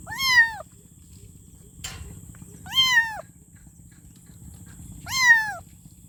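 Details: Kitten meowing for its mother: three clear, arched meows about two seconds apart, each rising then falling, with a brief click between the first two and a steady faint hum underneath.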